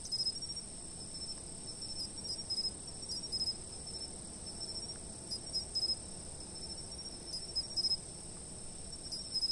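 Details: Insects calling at a fixed camera spot, a sustained piercing drone of high tones punctuated by brief clustered clicks every couple of seconds, with soft low outdoor noise underneath.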